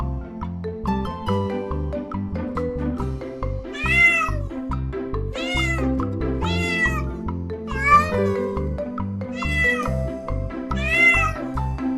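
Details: Home cat meowing for young learners of pet sounds: about five rising-falling meows, roughly one every second or so from the fourth second, over steady background music.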